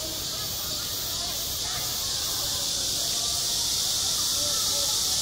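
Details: A midsummer school playground rings with cicadas, a dense continuous high-pitched hiss that swells slightly toward the end, with faint background chatter.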